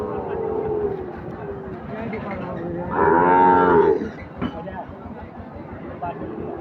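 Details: Sahiwal bull calves for farm rearing at the Ambari cattle market, held on Fridays and Mondays. A single strong, tonal moo lasting about a second stands out over steady market crowd noise and music.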